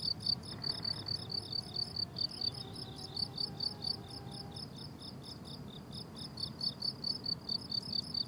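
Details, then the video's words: Blooming summer meadow with crickets giving fast, shrill pulsed chirps in an unbroken rhythm, a faint steady distant hum audible for a few seconds early on, and soft low background noise. "Relaxing Cricket Sounds on a Summer Meadow"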